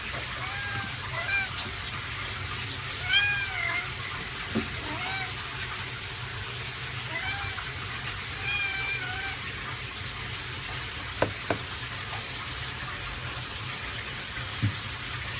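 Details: Norwegian Forest Cat kitten, 31 days old, mewing during its first shampoo: several short, high, thin meows that arch up and down, in scattered bursts over the steady hiss of running tap water, with occasional knocks and splashes.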